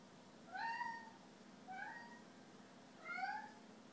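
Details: Sabu, a snow Bengal cat indoors in a kitchen, giving three clear meows about 1.3 seconds apart, each rising then falling, the first longest and loudest, over a faint steady room hum.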